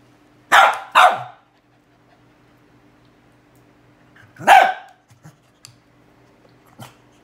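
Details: Domestic dog barking at a cow hoof: two quick sharp barks close together, then a pause and a third bark around four and a half seconds in, followed by faint soft taps.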